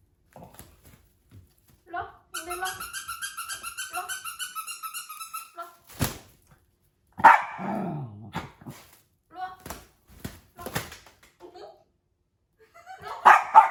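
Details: Puppies confused by an invisible wall, indoors: a long run of rhythmic, pulsing voiced sounds, then one sharp bark with a falling tail near the middle, followed by scattered short yaps and people's voices in a small room.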